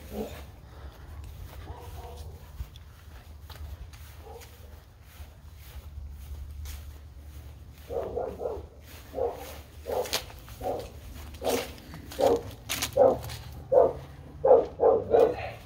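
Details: A dog barking, faint at first, then short sharp barks repeated roughly once a second in the second half over a low steady hum.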